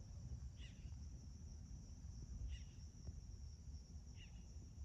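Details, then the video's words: An August 2021 sunrise chorus of crickets at a Magma Ranch home in Florence, Arizona: an unwavering high drone-like trill, with three short twittering bird notes spaced about two seconds apart above a steady low rumble. "Spectacular Arizona Sunrise- With peaceful crickets & birds chirping Aug-2021"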